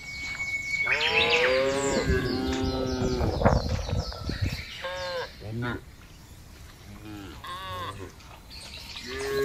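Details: Tame cattle from a fattening herd grazing freely on a wide village pasture: several short, overlapping moos and bellows with a thin whistled tone and some chirps in the background.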